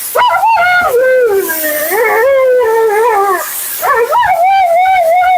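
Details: Mila, a talkative female Siberian Husky on her second-ever groom, vocalizing during a bath. Long wavering, whining 'talking' calls that slide up and down, one unbroken stretch of about three seconds, then a short pause and another drawn-out phrase.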